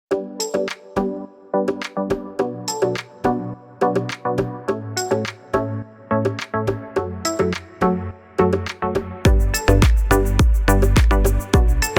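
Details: Plucked, bright instrumental music with a steady beat that builds to a denser ending, with no animal voice.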